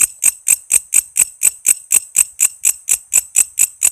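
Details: Chirping walang kece cicada, kept as master audio for songbirds like shama, lovebird, green leafbird and magpie-robin; bright metallic pulses about four per second, evenly spaced and loud throughout.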